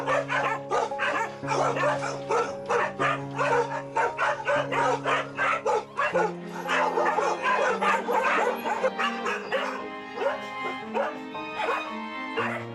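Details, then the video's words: Crowded caged dogs at a dog farm, hundreds kept in cramped conditions, barking and yipping constantly in rapid overlapping bursts, some high whimpering yips, over steady background music. "PD: Có thể nghe thấy tiếng chó sủa..!"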